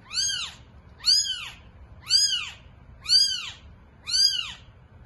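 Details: Thin, high mews from a cat's litter of eight newborn kittens, five evenly spaced arched cries roughly one per second, clear and close against near silence.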